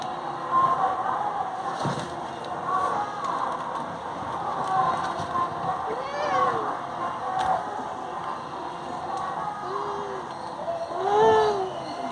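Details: Indian house cat bothering people trying to stay in bed, giving three separate meows spaced across the recording, each a short arching wail, with a low constant hum and faint voices behind.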